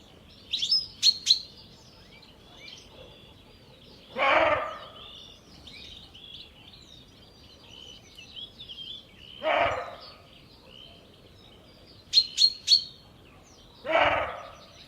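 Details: Roe deer buck, alarmed, barking at evening in Jantar: three rough, dog-like barks spaced about five seconds apart, over a backdrop of steady high bird chirps and twitters.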